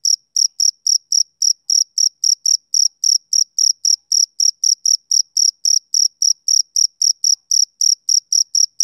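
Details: A male cricket chirps rhythmically on a summer evening, with sharp, high, ringing pulses repeated nearly four times a second in a steady, unbroken run against silence.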